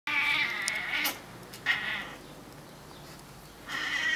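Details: Male Burmese cat named Atilla swearing at birds: harsh, raspy vocal bursts with stacked harmonics, a long one at the start, a shorter one near the middle and another rising at the end, separated by quiet gaps.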